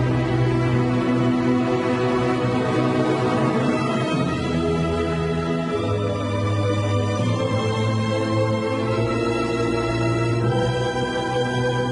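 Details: Slow ambient music with organ-like held chords swells and shifts throughout.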